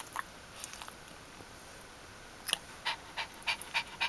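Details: Dog Ari of the G litter around whelping and the puppies' first four days, 1–4 October 2012; quiet background, then a run of short breathy panting bursts in the last second and a half.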